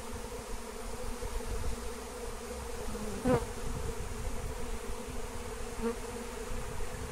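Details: Droning of a large wild honeybee swarm during capture with lemon balm, a rich, continuous low buzz with two brief bumps or knocks in the middle.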